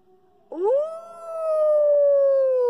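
A wolf howls: a quick upward swoop into a long, steady tone that sags slowly in pitch.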